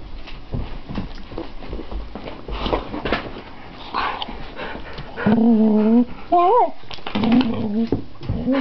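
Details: Addie, a female pet dog, lets out a long, wavering, tonal whine that bends up and down, following a person's talking and handling noises in a small room.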